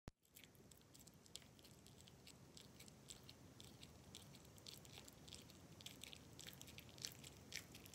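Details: A Japanese Maltipoo dog chewing, with soft irregular crunches and wet clicks close to the ear.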